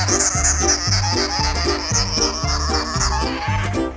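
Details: Loud rhythmic music with a steady thumping beat and bright high tones, no animal sound heard.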